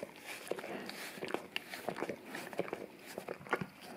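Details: A male English cream golden retriever laps at a peanut-butter-smeared tongue brush taped to tile; short moist licks and smacking clicks come in irregular bursts about twice a second in a small indoor room.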